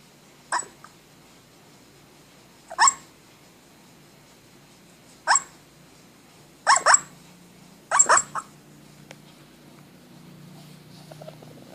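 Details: A dog barking in its sleep: short, soft, muffled woofs, some coming in quick pairs or triplets, about six bursts over twelve seconds, over a faint steady low hum.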